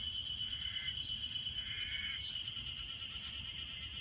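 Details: Chorus of Ezo harusemi cicadas at Hanazono Park in Otaru, Hokkaido, during a May heatwave of 30–32 degrees; continuous shrill buzzing drone holding one high pitch, with short lower wavering phrases rising out of it.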